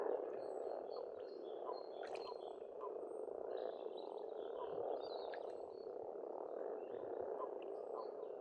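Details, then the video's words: Spring chorus of many frogs at an Estonian pond: steady overlapping croaking throughout, with scattered bird chirps and brief clicks standing out high above. "Расслабляющее пение птиц и лягушек, весна, природа."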